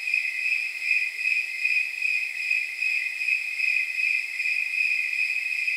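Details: High, continuous shimmering trill from snowy tree crickets on a night of roughly 79 degrees, with faint rapid pulsing where chirps of several callers blend together.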